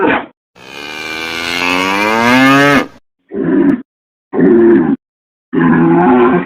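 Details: A long, strained cattle bellow that slides gradually upward in pitch, followed by three shorter, rougher moos spaced about a second apart.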